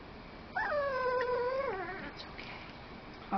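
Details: A 9-week-old, 2 lb male Miniature Pinscher puppy gives a long, high, nasal whine in protest at having his harness taken off over his head, starting sharply and sagging downward at the end.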